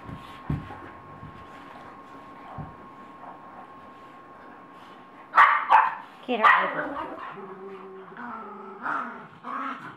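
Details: Dogs fighting in Colorado: a few seconds of quiet, then loud, harsh bursts of snarling and barking clustered mid-clip, followed by drawn-out whining tones, with human voices mixed in.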